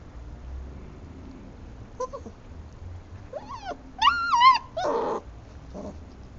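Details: Šarplaninac puppies: after quiet low hum, a few thin squeaks, then a loud wavering high whine that rises and bends, followed by a brief harsher squeal and a last faint whimper.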